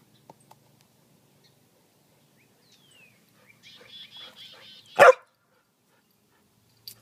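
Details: A single loud bark from Jasper, a Samoyed playing fetch on a spring evening, follows a buzzy chattering bird call; faint clicks and a brief whistle around it.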